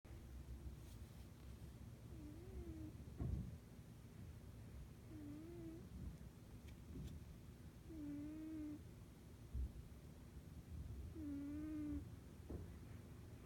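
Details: Sleeping cat snoring indoors, each breath giving a steady, nasal, tonal whine lasting under a second, repeated about every three seconds over a low, quiet rumbling background.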